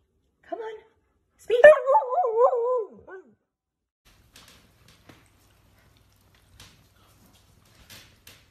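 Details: A pet dog, urged to "speak" by a person singing to it, answers with a wavering, howl-like vocalisation of about one and a half seconds after a short yip, then the room falls quiet apart from faint taps.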